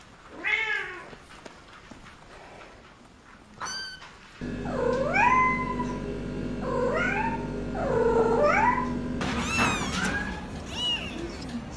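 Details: Kitten giving a string of bent, sliding meows, some dipping then rising, over a steady low hum and background noise that change abruptly partway through, with a sharper high cry near the end.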